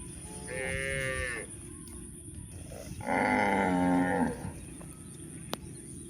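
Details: On a hill journey through rural land, cows give two moos, a nasal higher one first and then a fuller, louder one, with a sharp click near the end.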